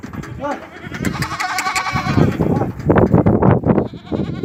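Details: Goats on a goat farm in Ajmer, Rajasthan, bleat in wavering, nasal cries over a busy background of voices and farm noise.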